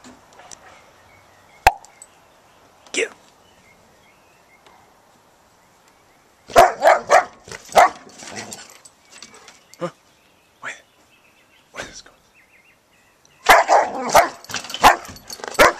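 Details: Dog on a home deck, thinking about chasing squirrels and playing with her toy, lets out clusters of sharp, rapid barks about seven and fourteen seconds in, with a person's voice urging her on during quieter stretches.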